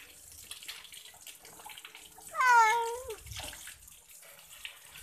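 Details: Domestic cat during a bath gives a single drawn-out meow, rising then falling, about a second long, over running water and splashing.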